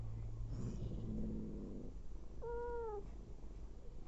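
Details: Mother cat nursing and feeding abandoned kittens gives a single drawn-out meow lasting about half a second, its pitch slightly arched and falling at the end, after quieter low rumbling and soft purring sounds.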